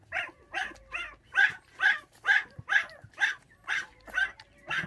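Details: Orphaned puppy from a bottle-fed litter of five, mother stolen by dog thieves when the pups were six days old; sharp, evenly spaced yips repeat about twice per second in a steady run.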